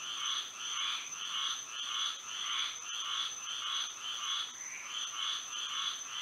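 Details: Moonlit Florida night with frogs singing: repeated rasping croak pulses swell and fade in a steady rhythm, nearly two per second, with a continuous high whine behind them.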